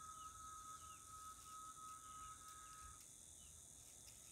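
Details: A chorus of cicadas in woods in rural Itaporanga, Sertão da Paraíba, Brazil, holds a continuous piercing high buzz on a Thursday, 14 December, late afternoon before nightfall. A sustained whistle-like tone beneath cuts off near the end, with faint short chirps.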